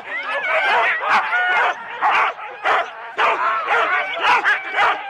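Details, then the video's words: Sled Huskies in four-dog teams waiting at the start in Rendlesham, January 2016, analogue tape recording: whining, howl-like yips blend with bursts of barking, the excited pack noise rising and dipping in waves. "4 dog Husky teams - the complete start"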